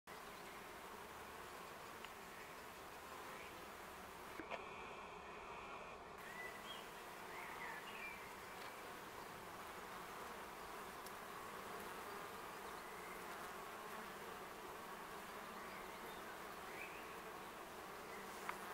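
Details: A wild honey bee colony living in a tree in Augsburg's city forest in May, grown strong after surviving winter with busy flight traffic, gives a dense, steady hum without pauses or rhythm; the site is shady all day and near the ground.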